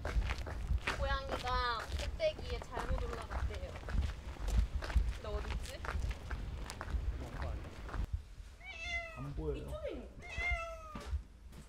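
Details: Domestic cat that often visits a plant farm in Yongin, stuck on a house roof and crying on a hot heatwave day; rising, drawn-out meows near the start and again toward the end, with a person talking over much of it.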